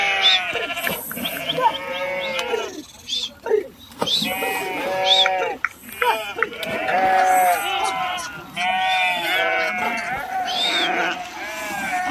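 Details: Sheep swimming across a river after jumping in; dense chorus of quavering bleats from many animals, repeated irregularly about every two seconds, some higher and thinner, over rushing water.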